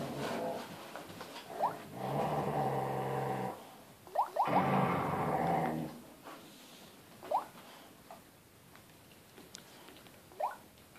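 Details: Playful husky tug of war, father against son, inside a room: two long buzzing growl spells of a few seconds each, separated by a pause, followed by short, sharp rising whine-like yelps spaced a few seconds apart.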